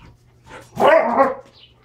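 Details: Standard Poodles wrestling in play with their toys: one loud, rough growling bark lasting about half a second, preceded by softer huffing.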